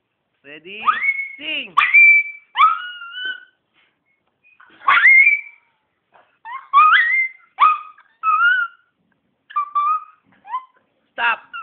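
A Miniature Pinscher 'sings' on command, giving thin, high howls that swoop up and slide down. The notes come in short bursts separated by brief pauses, sounding almost whistled.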